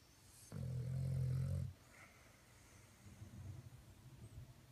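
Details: Domestic dog snoring: a single deep, rumbling inhaled snore lasting just over a second, low and harmonic, followed by quiet breathing and faint rustling.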